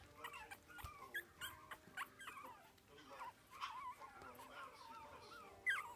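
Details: Young Biewer terrier, four weeks of age, enjoying its first taste of meat with bursts of thin rising and falling whimpers, short yelps and pauses between them.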